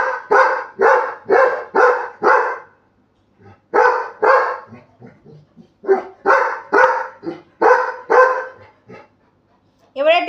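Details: Labrador Retriever puppy told to bark louder and show anger; quick runs of harsh, repeated barks about twice per second, broken by short gaps and soft grunts, a woman's Bengali urging heard throughout.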